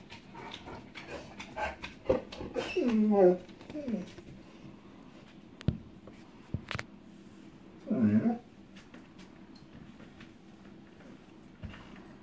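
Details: Echo, a female pet dog that dislikes storms, whimpering indoors as distant lightning begins before any thunder; a cluster of falling whines around two to four seconds and another short whine near eight seconds, with soft speech and clicks between.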